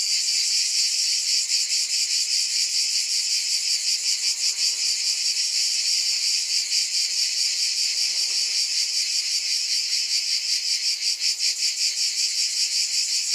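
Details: Cicadas buzzing together in a bright, continuous shimmer with a gentle rhythmic throb of about two and a half pulses a second. The pulsing grows sharper near the end.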